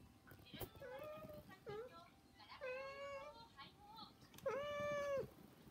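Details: Domestic cats, three pets named Saba, Hana and Mizore, meowing to beg, probably for food. Short harmonic meows, some rising then falling, with one long steady meow near the end and faint background noise.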